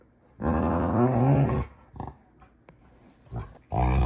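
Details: Rottweilers June and Kenai play fighting on a ranch: a loud, deep, rough growl lasting over a second, a short quieter grumble, then another strong growl starting at the end, in a small indoor room.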